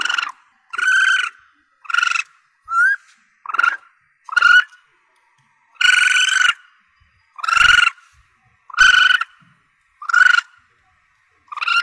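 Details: Call of a young Asian palm civet, meant for hunters to attract their quarry: a run of rough, nasal mews of uneven length, some brief and some drawn out, spaced irregularly about a second apart in a quiet background.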